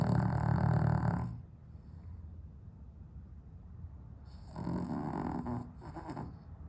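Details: Pet dog with sleep apnea, on heart medication, snoring in its sleep on a 32-degree day in London without air conditioning: deep, low rasping snore, then a silent pause of about three seconds before the heavy snoring resumes.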